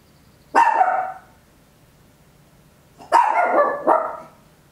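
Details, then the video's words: Papillon toy dog barking loudly indoors at home, stereo capture on an Olympus LS-11: a single sharp bark, a two-second pause, then a doubled bark over faint low room hum. "Tiny Dog Barking Very Loud, Papillon"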